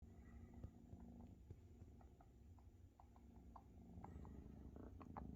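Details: Maine Coon kittens purring while their mother Luna feeds and cares for them; a low continuous rumbling purr with faint clicks and suckling noises scattered throughout.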